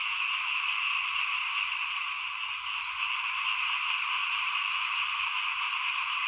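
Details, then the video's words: Many small frogs call outside a house at rice sowing time in 2021, making an unbroken wall of buzzy, high, rapidly pulsing croaks. A faint, thin steady tone runs above them. "ฟินๆกับเสียงเขียดร้องหน้าบ้าน ตอนหว่านข้าวเตรียมปลูกปี2021"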